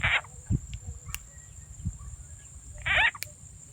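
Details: Two brief, coarse croaks open and close a short stretch of a countryside frog hunt in Rizal N.E. using a played frog sound, separated by soft knocks and thuds of movement.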